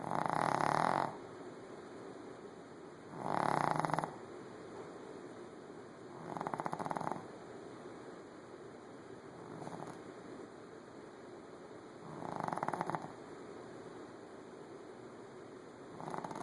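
A Shih Tzu snores in rough, rasping breaths repeated every few seconds.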